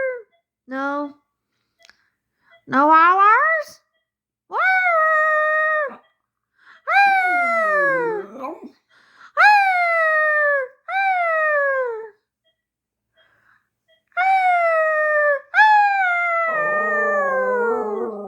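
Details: Xoloitzcuintle, the Mexican hairless dog named Ezra Charles III, giving drawn-out harmonic howls and moans, some rising then sliding down, in separate bursts of about one to two seconds, with short yelps between and a quiet indoor background.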